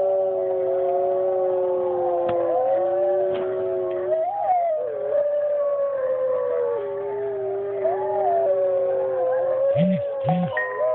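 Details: Dog howling in long sustained wavering tones, several overlapping voices gliding up and down, with a low steady hum underneath and a couple of short low thumps near the end.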